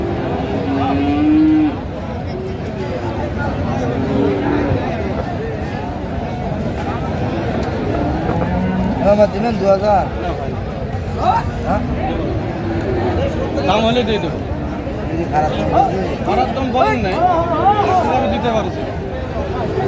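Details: Large bulls at Raniganj cattle market, where Chattogram farmers buy for Qurbani, 20 March 2025; one loud drawn-out moo opens, then steady crowd chatter, bargaining voices and market noise fill the rest.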